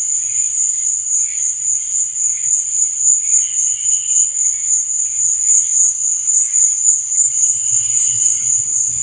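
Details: Crickets at night give a sustained shrill pulsing chirp without breaks, over low bubbling that grows stronger near the end.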